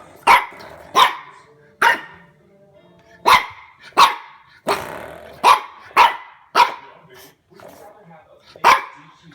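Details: A French Bulldog puppy that has just discovered a door stopper gives sharp, high, yappy barks in uneven bursts while a person talks quietly; the owner remarks that it doesn't like it.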